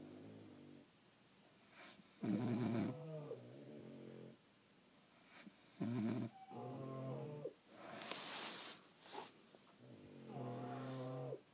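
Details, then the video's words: Sleeping French Bulldogs snore in heavy rattling surges separated by softer nasal whistles and wheezes, with a brief hissy snort near the end of the stretch. "Snoring French Bulldogs"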